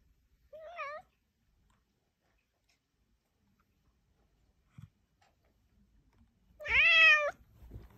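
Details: A talking house cat meowing indoors: a short rising meow near the start, then a louder, longer wavering meow with rich harmonics about six seconds later, a faint tap in between, quiet room otherwise.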